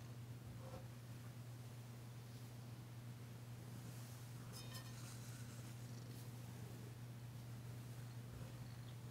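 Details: Purring from Danci, a female house cat, during a massage session in February 2022, her first purr heard since arriving; an even, unbroken low hum continues throughout, with a brief rustling burst midway.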